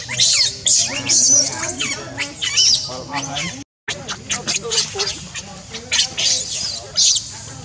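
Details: Baby monkey named Leo, hungry and crying as it begs its mother for milk: shrill, high-pitched squeals and chirps burst out in rapid clusters, briefly cut off near the midpoint, then resume just as insistently.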